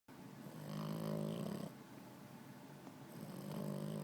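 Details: Pet puppy snoring in its sleep with its eyes open, indoors: a long, droning, harmonic snore lasting over a second on the in-breath, a quieter rasping out-breath, then the next snore starting.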